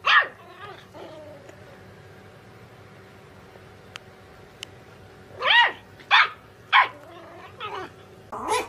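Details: Puppy giving thin, tonal yips and whimpering squeaks in scattered short bursts, with a long quiet gap before a cluster of rising-falling yelps near the end.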